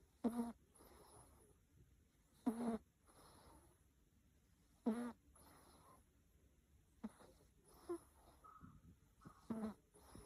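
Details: Snoring from a sleeping cat, with brief buzzy, rasping breaths repeating roughly every two to two and a half seconds, some stronger and some softer, over a low steady room hiss.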